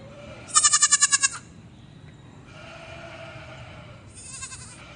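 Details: Baby goat on a farm giving one loud, strongly pulsed, quavering bleat, followed by a fainter second bleat after a pause, with soft background noise.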